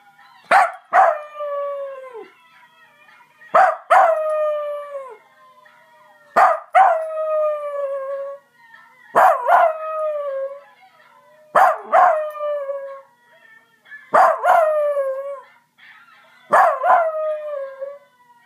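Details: A Basenji mix "sings", giving a series of yodel-like baroos that each slide downward and repeat every few seconds.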